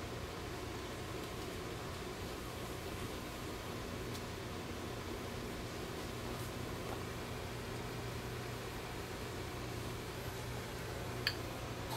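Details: Steady broadband hum like a fan or distant traffic fills an indoor room, with a faint rustle and one sharp click near the end; no animal voice.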